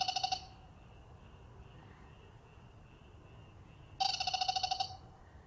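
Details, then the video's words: Calling males of the black-spotted pond frog sing in a bold group chorus. Quick rattling trills of rapid pulses open and close the stretch, separated by a constant thin high-pitched hum. "참개구리의 떼창 클라쓰 (웃음 나오는 참개구리 예능+다큐 우렁찬 울음소리 주의)"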